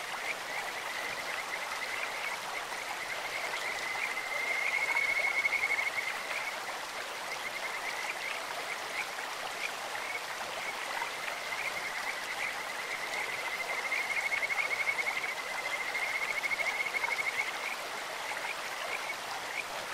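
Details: Kajika frogs croaking in a clear mountain stream, a voice compared to birdsong or insects: two drawn-out bouts of rapid, trilling high whistles on an even pitch, softer notes between, over a continuous wash of flowing water.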